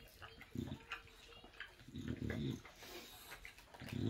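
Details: An English Bulldog chews a bone noisily, with low snuffling grunts and wet crunching bursts at uneven intervals.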